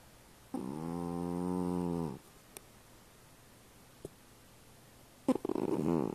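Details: A pet cat snores in a small room, giving one long, steady, low rumbling breath of about one and a half seconds, then faint clicks and a rougher, noisier snort near the end.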